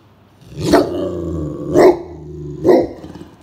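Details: Great Pyrenees dog indoors on a hot summer afternoon, barking while guarding the house as a stranger approaches: three deep, harsh barks about a second apart with a low growl sustained between them.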